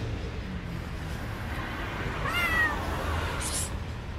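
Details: Street-living stray cat gives one short, loud, rising-then-falling meow, as if wanting to say something, against a constant low hum of outdoor background noise.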